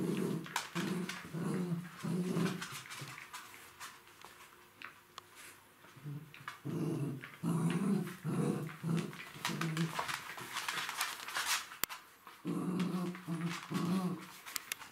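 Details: Three-month-old Jack Russell Terrier puppies play with their mother, growling and grumbling in low, rough bursts.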